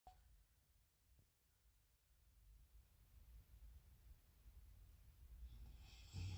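A sleeping dog snores with a deep, rumbling, man-like rasp on each breath.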